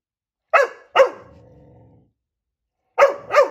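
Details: Coco, a Labrador puppy, barking at her own reflection: two sharp barks, a low trailing growl, then after a pause a quick double bark, in an otherwise quiet room.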